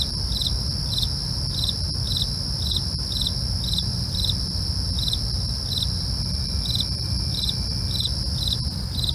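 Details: Crickets calling at night with regular, clipped chirps repeated around twice each second, over an unbroken high insect ringing and a deep, muffled background rumble.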